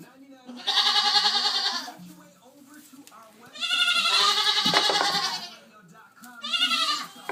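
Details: Farm goats in a pen, including Pygmy, Pocket and Fainting goats: three long, loud, quavering bleats, each over a second, with lower grunting sounds and a brief thump between them.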